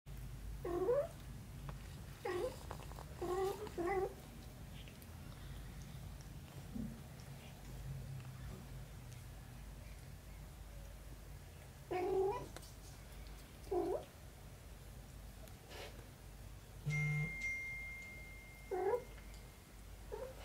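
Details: Mother cat embracing her kitten daughter; short rising meows come in clusters, two or three at a time, spaced over twenty seconds, with a steady low hum underneath and a brief faint whine near the end.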